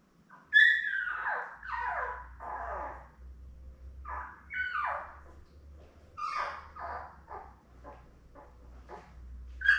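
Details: Labrador Retriever newborns, seven puppies born May 24, 2021, beside their mother Belle: a sharp squeal followed by downward-sliding whimpers and short high yelps, over a faint low hum.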